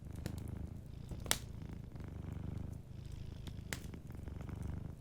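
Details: Soft purring from a sleeping domestic cat, a deep steady rumble rising and falling with its breathing. Scattered wood-fire crackles, one loud snap near the start.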